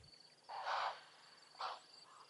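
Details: Impala (Aepyceros melampus) at Tembi give harsh, snorting alarm barks, a loud burst then a shorter one, warning of a pride of lions (two lionesses) nearby; having blown the lions' cover, they make a hunt unlikely.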